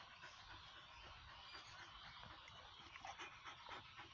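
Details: Pit bull named Kitty, described as a fighter dog being trained for the ring, panting in fast, rough, breathy bursts of about four per second, with Hindi commands urging it on nearby.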